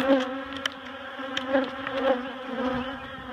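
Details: Honey bees in a barrel during excavation and relocation to a new hive at Miss Bee Haven, their queen already moved; a level, humming drone of many bees with scattered clicks and taps from handling.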